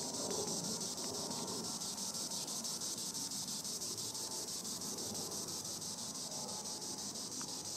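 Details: Green annual cicada (Tibicen linnei) singing in the treetops: a steady, high, hissing buzz that pulses rhythmically about three times a second, with faint low background rumble.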